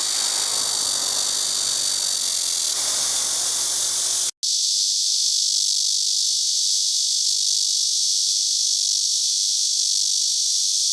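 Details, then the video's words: Chorus of blackish cicadas, Cryptotympana atrata, a continuous dense, high, hissing buzz with no pauses. The sound cuts out for an instant just after four seconds. A low rumble runs under the first part. "말매미의 합창"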